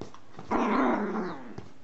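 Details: Domestic dog indoors giving a single sustained rough, growling vocalization lasting under a second, broad and noisy, over faint background room hum.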